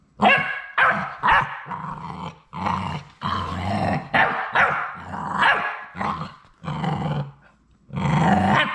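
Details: Sadie's last three Labrador Retriever puppies at High Desert Labradors, on the day they go home, keep up a string of hoarse, growl-tinged puppy barks, some drawn out, coming roughly every second with short breaks.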